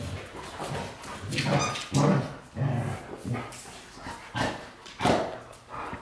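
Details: A quick series of barks and whines from white Golden Retrievers James Bond and Luna, several loud bursts within a few seconds, with rough low rumbles between them.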